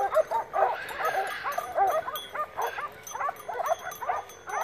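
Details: Segugio Maremmano hounds give a chorus of short, ringing, overlapping bays while hunting wild boar on a November 2017 drive hunt near Poggio San Lorenzo, Rieti, Italy.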